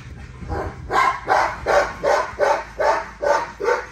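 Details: A female XL ghost tri American Bully named Nyla barks while exercising, giving about eight punchy barks in a steady rhythm roughly every half second, with little else audible.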